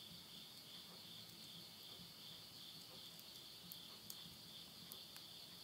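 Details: Insects at midnight in the Tottori countryside of Yurihama, Japan, at summer's end in September 2020: a steady, high, shimmering trill runs throughout, with sharp crackles and pops of wood burning in a stove nearby.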